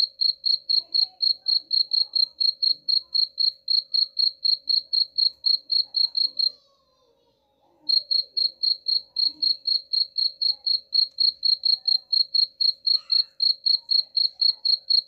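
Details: Cricket chirping for repelling rats: a long run of quick, high, evenly repeated pulses at about four per second, broken by a silent gap of just over a second before the same rhythm resumes.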